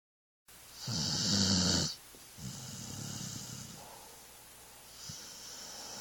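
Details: Sleeping dog snoring: a loud rasping inhale with low rumbling pulses and a hissy upper band, then softer wheezy breaths trailing off over the following seconds.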